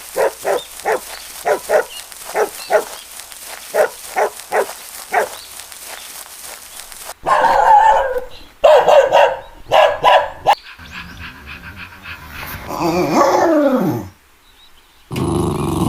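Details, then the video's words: Puppy playing outdoors on green grass: a run of about a dozen evenly spaced short barks, then louder harsher barks and a whining, falling yelp. "Adorable puppy playing on the green grass - Dog Barking Sounds - Dog sound"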